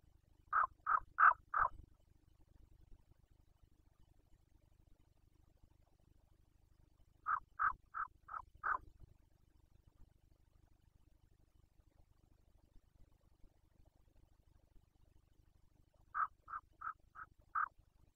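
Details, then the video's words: Rutting Carpathian red deer stag, Bucovina, Romania, 2021: three evenly spaced bouts of four to five clipped, gruff grunts about seven seconds apart, over a steady low background drone. "Boncănit / Carpathian stag Breeding season 2021"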